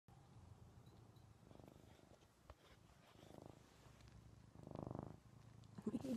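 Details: Male pet cat Paisley purring loudly while snuggling indoors with the TV paused: low, steady rumbling purr that swells in breath-linked bursts about every one and a half seconds, with faint soft voice sounds in the room.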